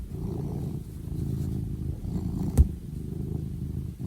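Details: Close, deep purring from a house cat: a soft, buzzing rumble kept up evenly throughout, broken once by a brief knock midway.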